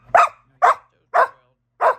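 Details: Australian Shepherd that uses talking buttons, upset and protesting after being refused a rawhide, gives four short, sharp barks about half a second apart in a quiet indoor room.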